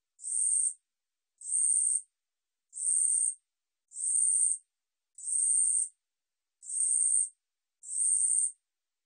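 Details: Woori katydid (우리여치) from the National Institute of Biological Resources 2020 collection: seven dry, buzzy high-pitched bursts, each about half a second long, repeated roughly every 1.3 seconds against complete silence.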